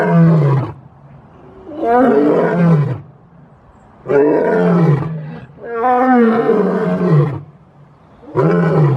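A lion roars in long, deep, rumbling bursts, each lasting about a second and repeated several times.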